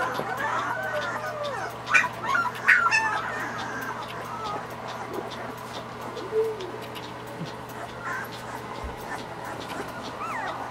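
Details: Irish Wolfhound puppies at feeding time, several whimpering and yipping together: high, wavering whines and short yelps in scattered bursts, a few louder cries near the start, over a steady low hum and faint background noise.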